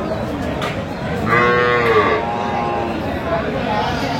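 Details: Cattle at Aftabganj market in Dinajpur, Bangladesh, on 14 October 2025, where cows with calves are sold; a long harmonic moo rises and falls near the middle, over steady crowd murmur and chatter.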